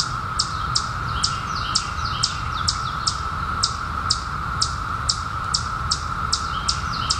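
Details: Periodical cicadas, 17-year brood emerging in summer 2021, hold a steady, droning mid-pitched chorus while a bird chirps sharply over the top.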